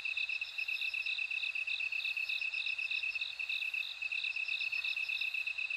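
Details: Dense insect chorus with a bell cricket: a brisk run of high, even pulses continues throughout, with a softer, higher trill shimmering above. No other sounds are present.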